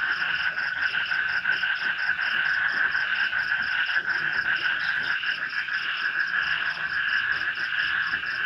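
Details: Frogs chorus in an Indonesian village swamp at night under light rain: many overlapping rapid croaks make a continuous buzzing pulse, with a thin steady high trill of insects in the background.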